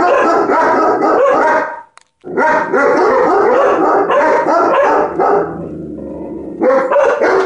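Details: Loki, a dog upset by ladybugs, lets out dense, fast barking at roughly three barks a second, broken by one short silence near the two-second mark before the volley resumes.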